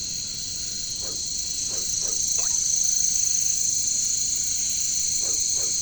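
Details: Katydids known locally as caricangkas give a constant piercing high buzz in jungle surroundings, with a few scattered short downward chirps from other callers.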